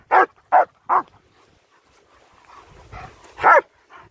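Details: Nico and Zeeva, German Shepherds on a winter wander in Hawick, Scotland, filmed on a Samsung S23 Ultra: three rapid barks, a lull with low rumbling, then one loud bark and a soft yip.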